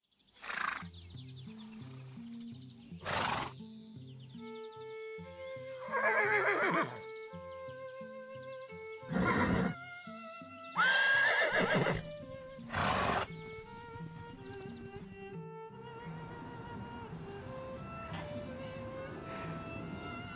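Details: Horse whinnying in several loud, shaky bursts over steady background music, with a few hoof clip-clops between the calls.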